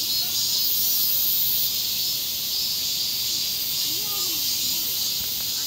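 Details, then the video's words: Cicadas in a sizzling Korean summer, a dense continuous high buzzing hiss holding steady throughout, with faint low murmurs underneath. "지옥의 불반도 여름 매미~ (Cicadas in the Sizzling Korean Summer)"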